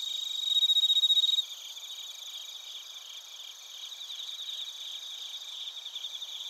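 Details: Cricket chorus from Narita in Chiba Prefecture, Japan, including bell crickets, captured on a TASCAM Portacapture X8; a loud close pulsed chirp in the first second and a half, then a quieter shimmering layered trilling continues.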